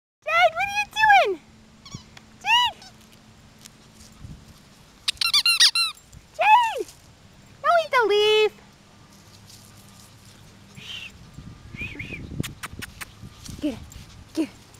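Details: Yorkshire Terrier puppies playing together: high whiny squeals and yelps with arching harmonics, in bursts separated by pauses, a woman's voice speaking between them and a steady low hum underneath.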